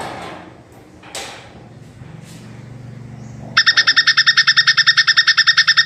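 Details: Plantain squirrel giving a mating call, described as long-breathed: after about three and a half seconds of low background rumble, a fast, even rattle of sharp, bright chips starts and runs to the end.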